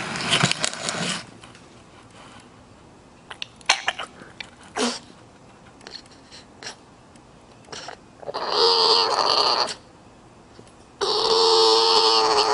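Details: Male bulldog snuffling and snorting in quick clicks, then giving two long, bright, whining calls with a steady tone, separated by a short silence.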